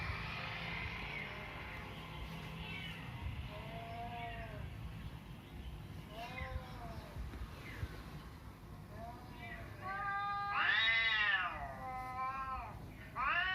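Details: Domestic cats, including an orange cat, reacting on hearing a cat meowing sound; several drawn-out arching meows at varied pitch, growing louder and more frequent toward the end, over low background hum and faint voices.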